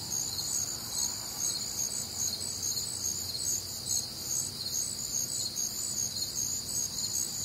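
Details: Crickets and other nocturnal insects on a warm, humid Midwestern summer night, a dense high-pitched chorus of overlapping pulsed chirps and steady trills, continuous with no pauses and no other clear sounds.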